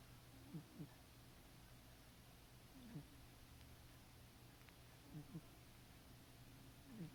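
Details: Sleeping house cat Caramel snores softly. Brief low grumbling bursts, often paired, recur every two to three seconds against constant electrical static.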